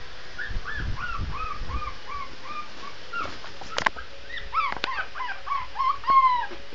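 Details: Shih Tzu puppy howling: a quick run of short arched, whiny notes, then a pause and a louder burst of rising-and-falling yelping cries with a few sharp clicks and thumps between them.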